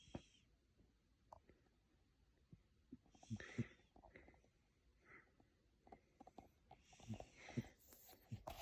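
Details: A pet cat snores while asleep in a room indoors. Soft, wheezy breaths rasp out in broad bursts roughly every four seconds, with quiet low rumbling and faint clicks between them.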